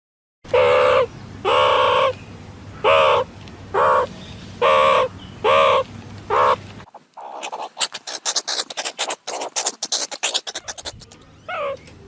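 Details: Meerkat calling: six short, harsh calls with strong harmonics, about one a second, then a burst of rapid clicks and scratchy chirps.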